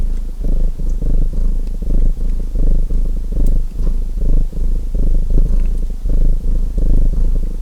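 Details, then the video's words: Domestic cat purring beside a crackling fireplace: a deep, steady rumbling purr that swells and fades in breath phases about every 0.8 seconds, with faint sharp pops from the burning fire. "Relaxing Fireplace & Purring Cat Sounds | Feu de Cheminée et Ronronnements"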